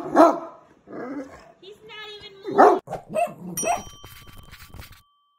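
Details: A Great Dane, upset by a deer head hanging on the wall, gives a few deep, loud barks, with people talking and a brief ringing tone.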